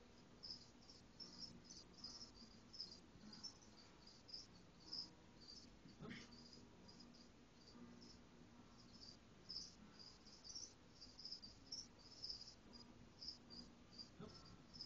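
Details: Caged crickets chirping softly indoors, short high trilled pulses repeated in irregular bursts throughout, over a low steady hum with a couple of faint knocks.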